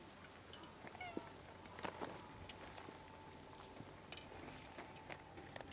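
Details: Wild, hungry cats gathered on the front steps of the only store on Japan's Cat Island, waiting to be fed; a couple of short, rising meows in the first two seconds, then rustling, shuffling and faint outdoor noise.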